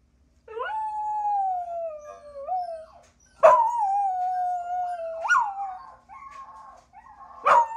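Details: One-year-old mixed-breed dog Ruby howling in long steady tones that dip and bend, broken by abrupt sharp onsets and a rising yip, ending in shorter warbling notes.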